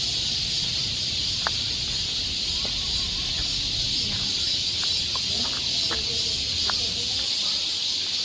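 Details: Unbroken high buzzing of cicadas in a Seoul forest in the Korean summer, an even, shimmering wall of sound with occasional sharp faint clicks scattered through it.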